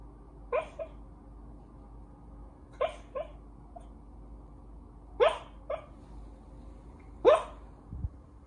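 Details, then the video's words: Welsh Corgi vocalizing while asleep: four soft, muffled woofs or hiccup-like yips at irregular intervals of about two seconds, each with a quick second pulse, over a steady low hum. "다이나믹 코기 잠버릇"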